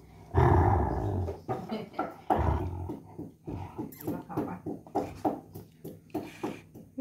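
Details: German Shepherd Sheeba snarls in an angry mood after being denied a coconut shell: an opening rough, deep growl, then a run of short, throaty pulses repeating about four times a second.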